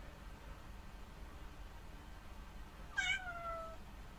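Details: Young black rescued kitten at home, grumbling after following its owner to the toilet: a single loud meow that starts high and slides downward, fading over under a second in a quiet small room.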